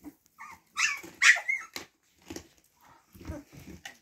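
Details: Siberian Husky puppies indoors let out a few sharp, hoarse yelps and short bark-like cries close together, then softer scuffling and quieter squeaks.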